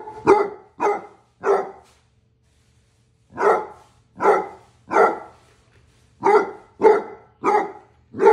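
A Basset Hound gives loud, deep barks, each one a rough, resonant bark. They come in clusters of three, with a brief silence between groups, in what sounds like a small indoor room.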